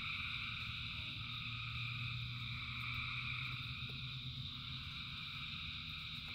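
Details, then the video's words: Many frogs singing together during rain, a ceaseless high buzzing chorus over a low rumble of rainfall, with a steady low hum rising for a few seconds near the start. "Frogs in Rain 2 Hours of Frogs, Thousands of Frogs Singing"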